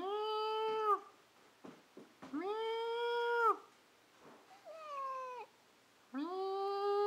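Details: Domestic cat meowing indoors in a back-and-forth exchange with a person; long harmonic meows around a second each, some steady, one falling and wavering, separated by short pauses with faint clicks.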